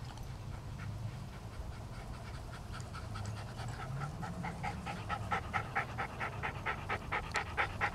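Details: Two Toy Poodles, an apricot female and a black dog, exercising on a treadmill and chasing a ball alongside a Chihuahua cross; quick, rhythmic breathy pants about two per second grow louder toward the end over a steady low hum.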